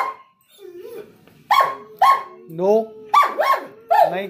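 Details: Excited German Shepherd Rottweiler mix anticipating a trip outside to the doctor, giving a low whine then four loud sharp barks in quick succession, with a high whimper between them and a person's voice.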